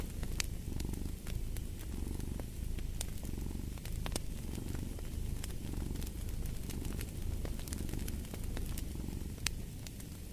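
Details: Relaxing fireside purring of a domestic cat: a buzzing low vibration in even inhale-exhale waves, accompanied by intermittent sharp crackles of a fireplace.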